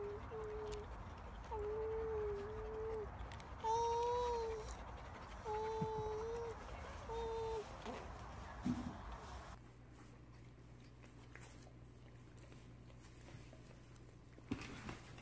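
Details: German Shepherd kept as babysitter with babies, protecting and playing with them; high tonal whines, drawn-out and slightly wavering, repeated roughly every two seconds for eight seconds, followed by quieter background hum.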